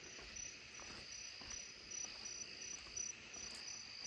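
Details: A Columbian trig calls from a tree, very close by, on a rainy July night in a grandmother's yard, giving a thin, high, steady trill among other crickets and gray tree frogs.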